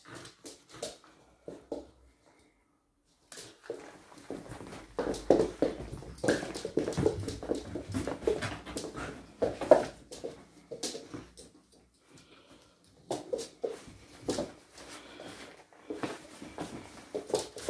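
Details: Archie, a 3-month-old Springador puppy, ragging the cat's bed around indoors: bursts of rough, growly play noises mixed with scuffling and thumping, a short quiet gap near the start, then busy tugging sounds to the end.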